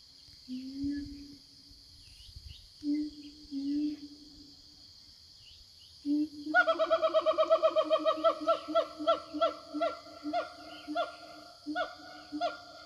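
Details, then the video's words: Forest siamangs calling back and forth to their companions: drawn-out steady hoots, then a loud, rapid run of rich pulsed barks, about three per second, that slows into spaced hoots, over a steady high insect hum. "Suara Siamang Hutan"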